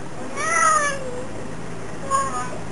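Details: Lassie, a Fox Terrier cross aged nine to ten, answers her owner's coaxing with a drawn-out, whiny yowl that rises and then slides down, followed after a pause by a shorter, softer moan.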